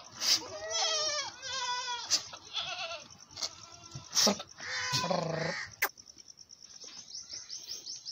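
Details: Goats on a farm while a mother goat feeds milk to her large male kid: several wavering, quavering bleats, the first two rising and falling, a longer one near the end, with clicks and handling noise around them.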